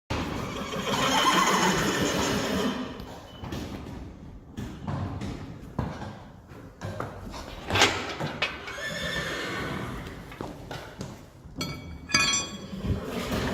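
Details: Friesian horses of a herd on a very hot day: a strained, harmonic whinny rises and falls over the first few seconds, then hoof clatter, rustling and shuffling, with a voice calling out mare names such as Elsje, Jacobien and Sanne.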